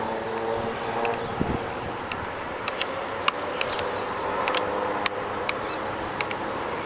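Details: A steady vehicle-like rumble with scattered sharp clicks and ticks, and no clear animal voice.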